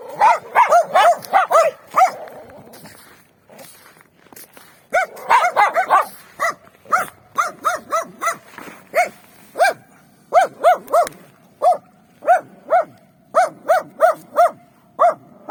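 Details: Free-range dogs on a wintry street, a few behind a fence, barking in bursts: rapid overlapping barks, a short lull, then a long run of single barks spaced steadily, some more distant dogs answering.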